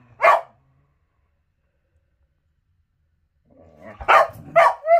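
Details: Whippet at morning play time giving a single sharp bark, a long silence, then a low rumble leading into three quick barks and a short rising whine at the end.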